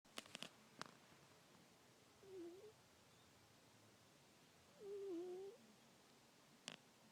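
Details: Sleeping female domestic cat in a rental home, knocked out cold, making soft little noises: two faint, brief squeaky chirps a few seconds apart against quiet room hiss, with a few clicks and taps.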